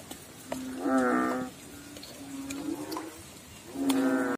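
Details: A frog in water gives two loud, deep, resonant croaks about three seconds apart. A softer, lower drone rises between them.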